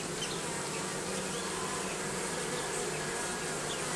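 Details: Bees gathered beneath roofing produce a steady, dense humming, a low droning buzz layered with a broad hiss, unchanging in loudness from start to finish.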